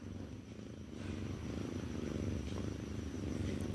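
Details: Pet cat Mufasa, the Cat King, answering its owner in a back-and-forth conversation: a low, rapidly pulsing purr that grows louder after the first second and runs steadily to the end, with a woman's Telugu speech before and after.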